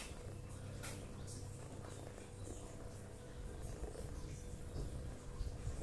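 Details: Toto, a pet cat, snoring deeply while asleep indoors as if after hard work: a steady low rumbling drone pulsing with each breath, faint clicks and room noise above.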